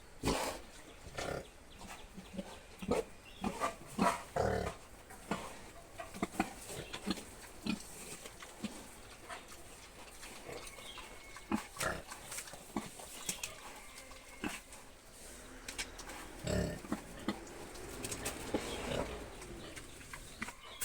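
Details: Piglets about seven months old of Mizo pig stock with Yorkshire, Hampshire, Duroc and Landrace lines, giving short broadband grunts and snorts in irregular bursts, some clustered, over a low background hum.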